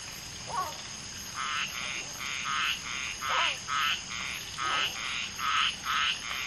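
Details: Common tree frogs (Polypedates leucomystax) mating, one female laying eggs while two males fertilise them, amid a frog chorus: short, buzzy, pulsed croaks repeated about twice a second after a quiet start, with a few quick descending chirps.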